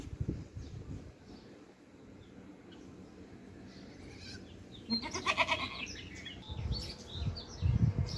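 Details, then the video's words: Baby goats drinking milk in the morning; a tremulous, wavering bleat rises midway, surrounded by low thumping and suckling noises and scattered faint high chirps near the end. "MORNING BABY GOATS DRINKING MILK | RELAXING SOUNDS"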